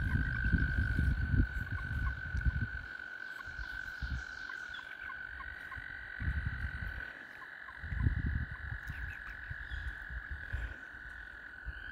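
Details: Many frogs gathered to mate around a kayak keep up a continuous, even high-pitched trill. Rumbling bursts of water and paddle noise come and go beneath the droning chorus.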